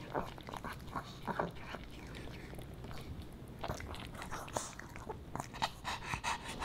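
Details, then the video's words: Pomeranian puppy Boba Bear eats fish and chips made with dog-safe ingredients; scattered crunchy bites and wet chewing clicks come in small bursts, with brief pauses between mouthfuls in a quiet small room. "Puppy Dog Eats Fish N' Chips"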